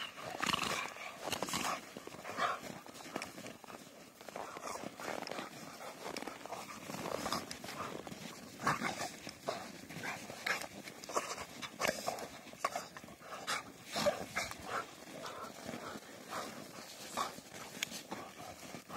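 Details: Two Rottweilers, Trisha and Ron, play fighting together: a dense stream of rough scuffling, with harsh broadband growls and snarls coming in bursts every second or so across the whole stretch.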